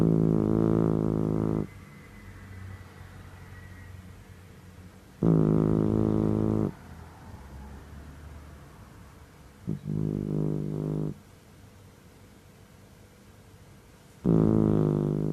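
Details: Mameshiba (Shiba Inu) named Ohjiro, a seven-month-old male shelter dog born in July 2017, snoring in deep sleep: low, droning, tonal snores of one to two seconds, four of them spaced several seconds apart.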